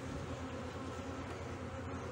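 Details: Honey bees in a hive in Brno in 2022, after an inserted queen cell was found chewed open and the colony's own queen cell had hatched earlier. A steady, low droning hum with layered harmonic bands runs unbroken throughout.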